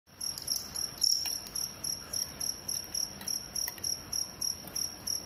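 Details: Two crickets fighting each other: a steady run of sharp, high-pitched chirps repeated about three to four times per second, with a few louder bursts near the start.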